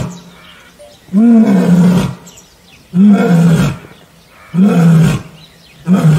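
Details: Roaring from an Asiatic lion at Gir National Park, Gujarat: four loud, throaty, rasping bursts of about a second each, repeated roughly every one and a half seconds, low droning tone under a gravelly rush; faint outdoor hush in the pauses.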